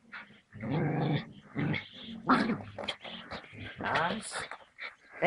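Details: Puppy attacking a king cobra: rough growls and snarling bursts with whimpering rising tones, overlapping with people's voices speaking nearby.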